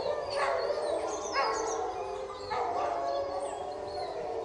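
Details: Caged wolf pack howling and fighting: several overlapping voices with wavering, sliding howls, dense and continuous, harmonics stacked high, with sharper yelping rises near half a second, one and a half, and two and a half seconds.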